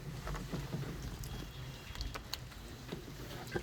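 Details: Wind buffeting the microphone over a low rumble, with faint murmured speech and a few soft knocks.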